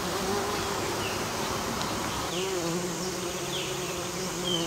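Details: Western bumblebee pollinating an American basswood tree: a steady, low, humming drone with a clear harmonic tone throughout, and faint short high chirps scattered above it.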